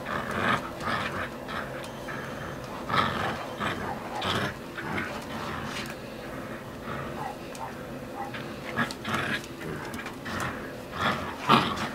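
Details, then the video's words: Husky puppy Shasta tugging in play, giving rough snorting growls and grunting bursts scattered every one to two seconds, with rustling and scuffling between them. "shasta the husky puppy playing tug a war with me"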